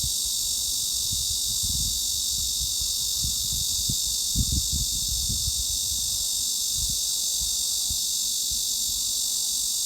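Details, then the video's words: Cicada song for masking tinnitus: an even, shrill, unbroken hissing buzz, with scattered low knocks and rumble underneath. "중주파_매미 / Mid-Frequency_Cicada"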